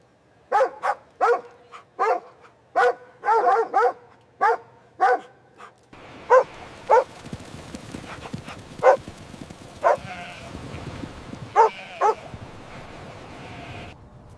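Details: Puppies playing and play-fighting on green grass; a dog gives a run of about a dozen short sharp barks, evenly spaced at first, then looser barks over rustling background noise.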